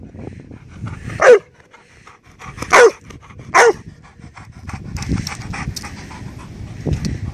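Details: Labrador barking to get back a ball held by a second dog hidden in the bushes. Three sharp barks arrive about every one and a half seconds, then give way to steady panting and rustling.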